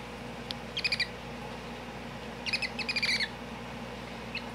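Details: Male baby hedgehog that has just opened its eyes, taken out for photos with its little brother beside it. Rapid clusters of high, chirping squeaks like a chipmunk or squirrel come in short bursts over a low steady hum.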